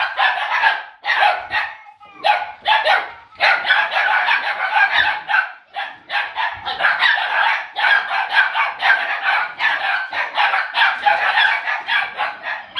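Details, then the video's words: Nearly 8-week-old puppies of an O litter playing with a laughing ball toy yap almost continuously, sharp high barks crowding together in rapid clusters with only short gaps. "Live Laugh Bark"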